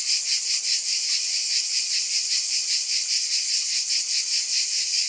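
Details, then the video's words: Steady chorus of cicadas, a dense shrill drone pulsing evenly around two and a half beats per second, with nothing else audible beneath. "Scintillating Cicadas"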